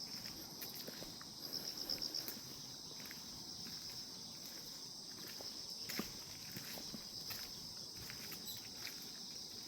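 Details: Grass insects on a calm morning: a steady, high, shimmering trill runs throughout, with a brief pulsed burst near two seconds, while scattered soft clicks and taps sound in the background.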